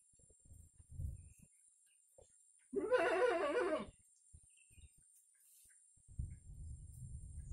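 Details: Active kampung goat giving one loud bleat lasting about a second, its pitch quavering with a strong vibrato; soft low thuds and shuffling are heard before and after.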